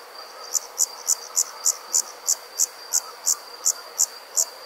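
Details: Rural summer night with insects calling: a long regular train of fourteen bright, high chirps, evenly spaced about three each second, against a steady thin background drone.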